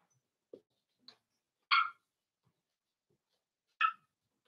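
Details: Cavalier King Charles Spaniel puppies, four weeks old, in an indoor pen; two bright, harmonic yelps about two seconds apart dominate, preceded by a couple of faint soft squeaks.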